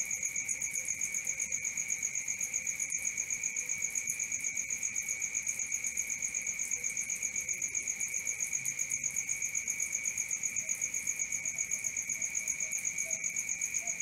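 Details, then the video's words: Crickets at night in a continuous high chorus, a steady shrill trill with a second bright tone above it, pulsing rapidly and evenly throughout with no other clear sounds. "Cricket 1 hour for Sleeping & Relaxation"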